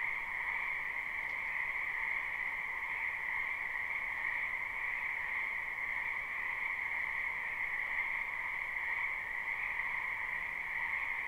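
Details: Frogs croaking in a spring wetland behind a house, recorded live at night without looping; a dense, continuous chorus forms a steady shimmering drone with no pauses.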